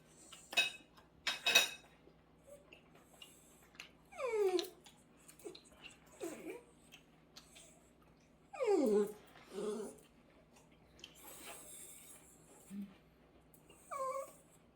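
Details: Indoor dachshund that refuses cold food, getting angry because its warmed food is too hot. Three drawn-out, falling, grumbling whines spaced several seconds apart, with faint clicks and handling noises between them.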